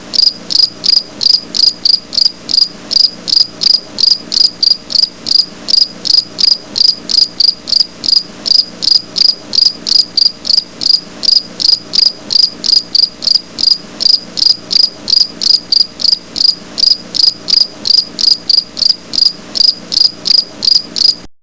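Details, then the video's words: Insect chirping, named as a grasshopper, recorded outdoors: rapid, evenly spaced high-pitched pulses, roughly 162 a minute, forming a continuous rhythmic trill with a soft low background hum and no other voices. "ঘাসফড়িং এর আওয়াজ"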